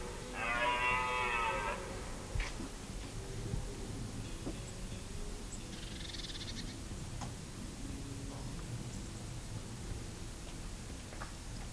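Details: A red deer stag at the Hoge Veluwe, Netherlands, on 23 September 2010 gives one loud, deep, harmonic roar during the rut, followed by a quieter stretch.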